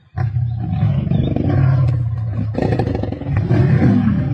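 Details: Deep, unbroken guttural snarling from male lions feasting on a kill with a pride in Sabi Sands on 31 March 2024, loud and rumbling throughout, harsher around the middle.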